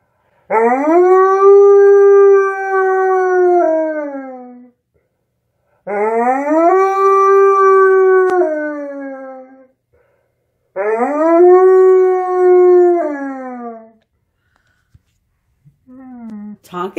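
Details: Alaskan Malamute singing along to Jingle Bells, giving three long, smooth howls about five seconds apart, each rising slightly then sliding down at the end, with quiet gaps between.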